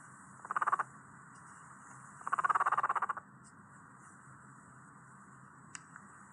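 A guinea pig purrs in two short, fast-pulsed vibrating bursts, the second longer than the first.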